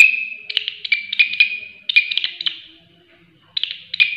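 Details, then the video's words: Shrill, strident grasshopper call: trains of quick high raspy pulses over a constant ringing whine. The trains break off for under a second and then start again. A faint low murmur is heard in the background. "Belalang Suara Nyaring"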